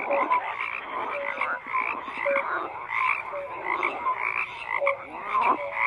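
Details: Crowded frog chorus with rhythmic croaking pulses and clear short tonal calls recurring about every second, all voices overlapping without a break.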